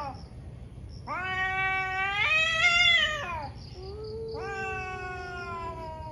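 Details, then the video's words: Two ferocious cats fighting on a morning: long harmonic caterwauling yowls, one rising and wavering to a loud peak before sliding down, then a second steadier drawn-out howl, with faint chirping in the background. "Cat Fights cat | Angry Cat caught on camera | gato briga com gato"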